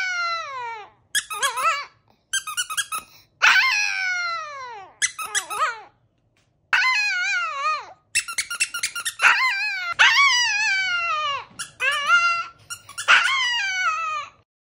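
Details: Chihuahua howling indoors in a series of short, high, squeaky yowls, each sliding downward in pitch, coming in quick bursts separated by brief pauses over about fifteen seconds.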